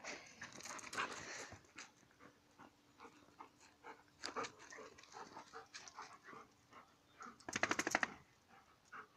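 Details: Dogs play-fighting on gravel, broken panting and growling noises in rapid irregular bursts, with a loud scuffling flurry near the end; quiet room-like background.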